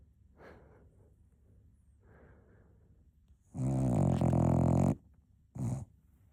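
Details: Napping Cocker Spaniel puppy gives a soft snuffle, then one long rasping snore over a second long and a short final snort, in a quiet room.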